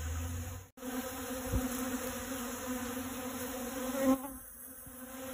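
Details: Honey bee gathering pollen on dragon fruit flowers, a continuous droning buzz with a steady pitch and layered overtones, growing slightly louder before a sudden drop near the end.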